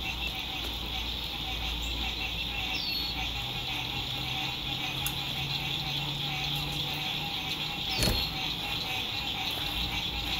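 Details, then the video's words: Frogs singing at sunset beside a lake at a spring 2021 RV campsite in fine weather: a dense, steady, high pulsing chorus fills the clip, with a low road hum beneath and a couple of faint falling chirps. "Sunset Frog Songs"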